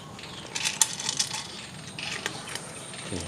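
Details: Brief metallic clicks and clinks sound over a quiet room background, with no animal sounds.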